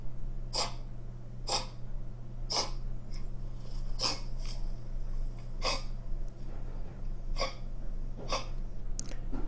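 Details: A dog gives a typical dry cough, a hacking 'keh-keh' in short bursts repeated about once a second; such dry coughing points to narrowed airways.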